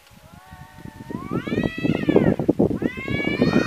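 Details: Tomcats fighting outdoors after one was chased off and met a second rival: a low drawn-out howl rises and bends upward into a long wavering yowl, then another starts, over scuffling and rustling noises.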